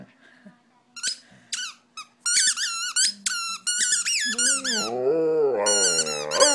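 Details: Stella, a pet dog, howls indoors along with her squeaky toy. Bursts of high toy squeaks fill the first seconds, then a wavering, sliding howl rises and falls beneath continued squeaking.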